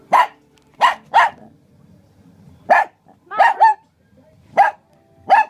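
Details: Two Shih Tzus, Murph and Maverick, with zoomies around a table at home, barking in short sharp bursts: seven barks spread over five seconds, two of them in a quick double, with quiet scuffling between.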